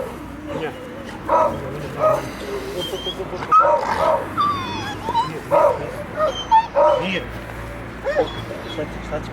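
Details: A Dogo Canario dog during mating gives short, high whimpers and yips in repeated bursts, roughly one every second, while people talk in the background.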